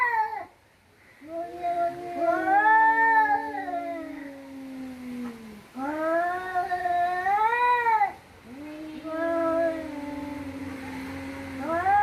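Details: Cats in a fight give drawn-out yowling howls, each several seconds long, swelling and dipping in pitch with rich harmonics, separated by short gaps; quiet room background.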